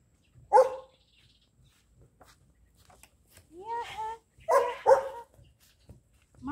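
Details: Jet black Belgian Malinois puppy, two months old, in a training session, giving a sharp bark followed by a cluster of higher barks and yelps, mixed with a person's voice praising and calling the dog.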